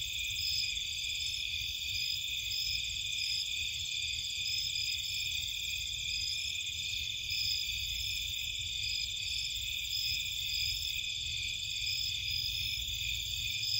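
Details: Nighttime crickets and other insects recorded in Cape Cod marshland: a dense, continuous high-pitched chorus of steady trilling bands with faint pulsing, over a low constant rumble from a fish tank.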